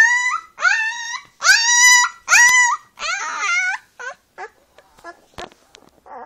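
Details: Young brown female Leonberger puppy, eyes just open, on her first steps, letting out long wavering howl-like whines that slide upward, then trailing off into softer, shorter squeaks and faint scuffles.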